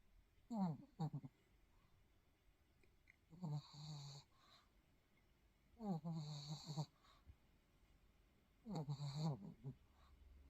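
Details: Thirteen-year-old pet dog snoring in its sleep, a little restless; four separate bursts of harmonic, wheezy snorts with falling pitch, spaced about two to three seconds apart, in a quiet room.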